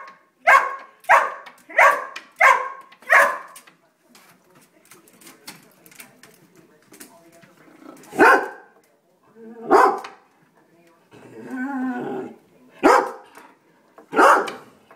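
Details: Domestic greyhounds, three dogs, react to a squirrel spotted at the bird feeder. A quick run of five barks opens, then a quieter stretch with soft noises, then single loud barks at irregular intervals and a brief murmuring sound.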